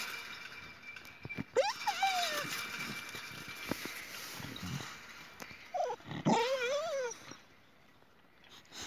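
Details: Boxer quarrelling with another dog over a toy. It gives high, wavering whines that rise and wobble in pitch, in two drawn-out bouts, with brief low grumbles and faint scuffling between them.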